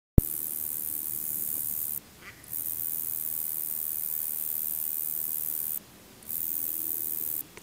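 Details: A male Roesel's bush-cricket (Metrioptera roeseli) sings a continuous, very high-pitched electric buzz broken by brief pauses.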